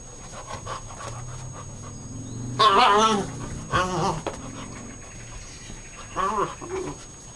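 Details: Poppy, a puppy wanting to play, recorded on 21 April 2011 after a long day of play; three loud wavering, whiny yelps rise and fall in pitch, spaced a few seconds apart, over quiet room noise.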